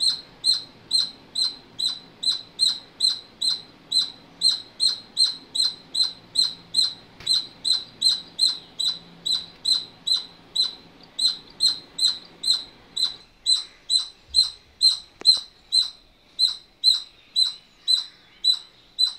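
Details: Squirrel chirping nonstop, a sharp, thin note repeated about twice a second; a faint low hum underneath fades out partway through while the calls continue unchanged.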